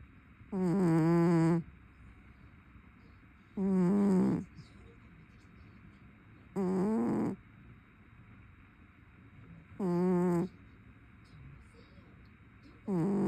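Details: Loud snoring from a sleeping brown tabby cat. Each snore is a low, buzzy, rasping breath about a second long, with a soft hiss on top, repeating roughly every three seconds in a quiet room.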